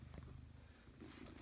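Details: Domestic cat purring indoors, a low rumbling throb held steadily throughout with faint rustling above it.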